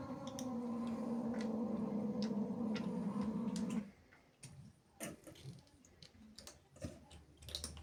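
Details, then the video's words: Zippy, a female house cat, angry and jealous as playful kittens sneak into her house: a low, sustained growling yowl held steadily for about four seconds, then it stops and the room falls quiet apart from scattered clicks and taps. "Angry cat makes incredible sounds"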